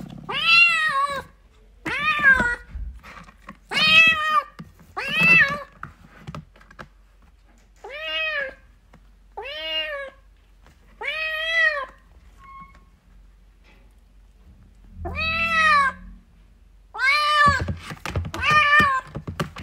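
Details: Kitten crying for its mother indoors, giving a long series of about ten short arched meows, each rising then falling, spaced one to two seconds apart in a quiet room, with a faint thump midway.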